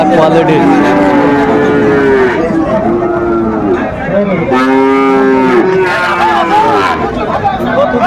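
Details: Sahiwal cattle at a Mymensingh market in Bangladesh, repeated long moos in two bursts with a gap near the middle, over crowd voices and bustle.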